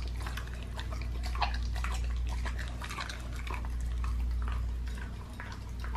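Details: Pit bull working at a raw leg of lamb, soft squelchy mastication and crisp little crunches in quick succession, steady low hum in the room behind.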